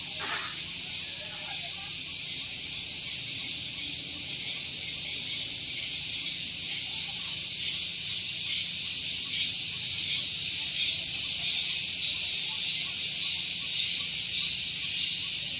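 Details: Morning cicada chorus on Gunung Geulis in Bogor, West Java, close to a parking area: a loud, unbroken high-pitched buzzing drone with faint rhythmic pulsing, roughly two to three beats per second, holding steady throughout.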